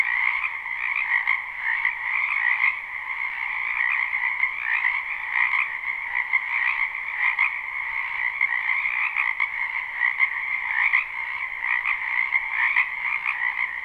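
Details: Spring wetland frogs behind a home, live unlooped recording: countless overlapping croaks merge into a steady, buzzing trill, rising and falling slightly in loudness, with faint rhythmic pulses every second or so.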